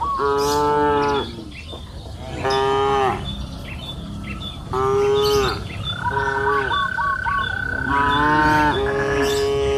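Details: Cattle on a lush green hillside pasture in warm afternoon light give four drawn-out, resonant moos about two seconds apart. Faint bird chirps and a thin steady tone sound in the background.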